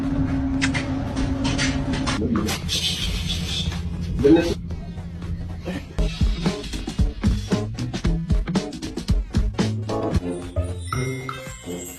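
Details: Upbeat electronic music with a thumping beat and synth stabs, with no animal sounds.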